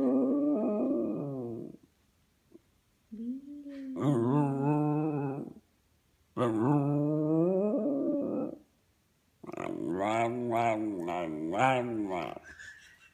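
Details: A five-year-old West Highland White Terrier howls for his best friends indoors: long, loud, wavering harmonic howls in several drawn-out bouts separated by brief silences, the last one quavering up and down.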